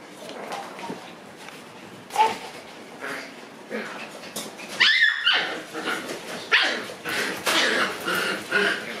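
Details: Shiba Inu puppies in a kennel room at night, more of them staying over: scattered high whimpers and short yelps, irregular, with a brief squeal near the middle and soft rustling between calls.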